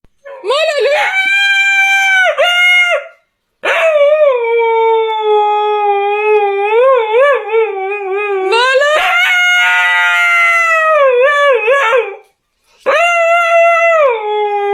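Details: Domestic dog in long, loud, wavering howls that slide up and down, rising into higher yodel-like wails mid-way, broken by short silent breaths between phrases.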